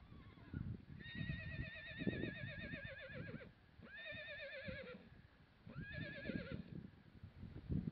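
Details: Wild horses whinnying: three loud, quavering neighs, each wavering in pitch and fading downward, spaced about two seconds apart, over low rumbling background noise and faint thuds.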